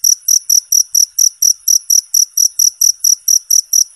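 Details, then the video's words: Cricket recorded as clean, clear tutoring material for competition songbirds: short, high, shrill chirps repeated steadily about four times a second, each a brief ringing pulse, over a quiet background. "suara jangkrik bersih dan jernih"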